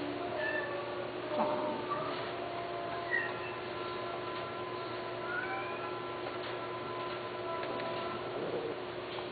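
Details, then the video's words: Persian cats kept for breeding give faint, high, upward-sliding mews at intervals, some drawn out, against constant humming and low-level background noise. "قط فوارس همالاي شيرازي"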